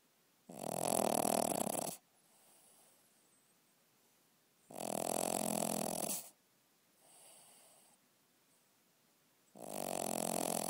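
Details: Domestic dog snoring loudly at night, indoors: long rasping inhalation snores about 1.5 seconds each, roughly every four seconds, with softer quieter breaths between them.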